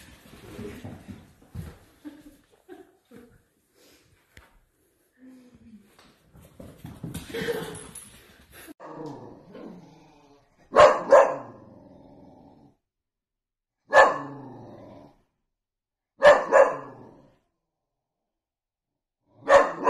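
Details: Dachshund puppies at play indoors: after soft snuffling and quiet murmurs, four sharp, loud single barks ring out, spaced roughly every two to three seconds, each with a bright ringing tone and abrupt start in an otherwise quiet room.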